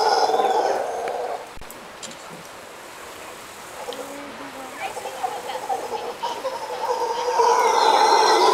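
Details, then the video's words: Costa Rican howler monkeys calling at sunset: a rough, droning roar fades out after the first second, leaving a quieter gap with faint sounds. The howling then builds again and grows loud over the last two seconds. "Howler Monkeys"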